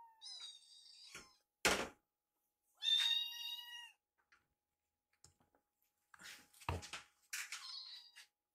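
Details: Rescued kittens eating indoors, one trying a sibling's food. A few thin high meows broken by loud knocks and a bump, then scattered faint taps and a final burst of mewing with clatter.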